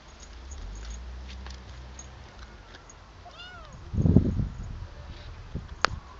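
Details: Bengal kitten out for a walk in a garden, playing outside; a faint, thin, arching mew rises and falls once, followed by a loud burst of rustling and handling noise, with a steady low background rumble.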